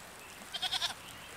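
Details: Goat giving a single short, quavering bleat lasting under half a second, faint against a quiet background.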